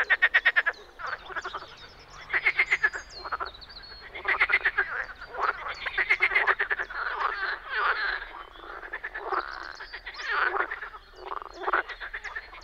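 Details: Dense spring frog chorus in the Czech Republic, with harsh, rattling pulsed croaks overlapping almost without break and louder bursts rising and falling every second or two.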